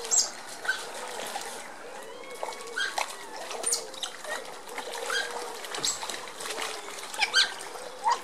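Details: Smooth-coated otters rough-housing in their pond at Colchester Zoo give short, high squeaks and chirps over steady splashing water.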